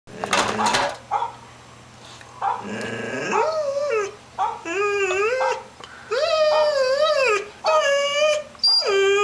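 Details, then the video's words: 10-month-old female puppy barking and whining at dogs on a screen; a burst of noise, then rising, wavering whines and short yelps with rich harmonics, ending in sharp barks. "barking at computer dogs"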